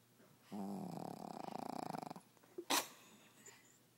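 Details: Sleeping dog snoring indoors: one rattling, fluttering breath of about a second and a half with rapid pulses, followed by a sharp brief noise and quiet.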